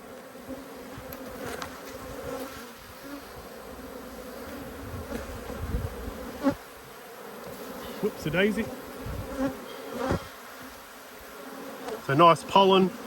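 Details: Honey bees upset by a hive inspection produce a steady low-pitched droning buzz throughout, with a few short bits of human voice and handling noises near the end.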